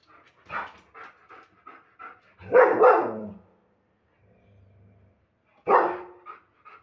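A German Shepherd gives heavy, aggressive barks in two loud bursts, each rough and booming. Short huffs and panting breaths come between them, with a low hum in the pause.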